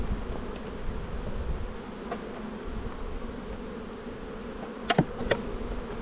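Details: Honey bees in a bee yard during spring buildup, a black hive full of brood getting another box, 7-9-22: a steady low droning hum fills the whole stretch, with a couple of sharp clicks near the end.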